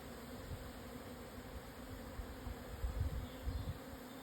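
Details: Japanese honey bees swarming in the Yatsugatake southern highlands, Hokuto, Yamanashi, 1054 m, 17 June 2024 at midday. Steady low hum of the swarm under gusty wind rumble.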